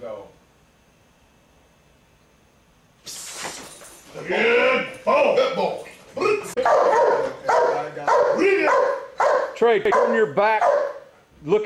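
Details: Giant Schnauzer police working dog in training, breaking into loud, rapid, harsh barks after a quiet start, roughly two per second, with a man's voice praising "good boy" between them.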